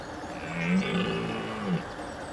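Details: Deep roar of a red deer stag in the rut, sounded in mist to warn off rival males: a single drawn-out, harmonic bellow of just over a second that swells and fades with a rough edge.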